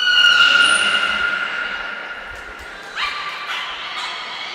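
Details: Training session for beluga Nico, Port of Nagoya Public Aquarium, 25 February 2024: a long, steady, loud harmonic whistle fades over three seconds, then a quick upward-sweeping chirp starts a softer tonal call.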